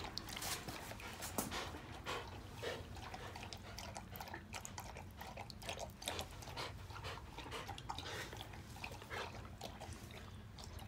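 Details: Two Akita-inu dogs, brindle Patako aged 2 years 4 months and red Komugi aged 1 year 5 months, waiting their turn to enter the house after finishing a walk; quick, breathy huffs come about twice a second, with light rustling behind.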